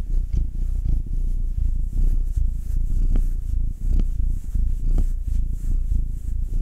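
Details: Purring from a domestic cat being rubbed, Will, a black male aged nine, or Anzu, a tortoiseshell Munchkin female aged two. A throaty, low buzzing rumble in breath-paced waves, with a few soft clicks.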